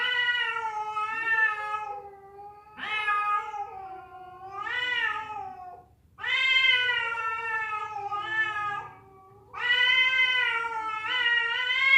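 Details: Fighting cats, a female summoning a male: loud continuous wailing yowls that waver and warble in pitch, in overlapping bouts lasting two to three seconds each with barely any silence.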